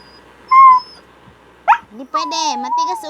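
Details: Japanese Spitz dog giving a short steady high whine, then a sharp rising yelp, followed by a longer wavering whine with rich harmonics that dips and rises over the final second.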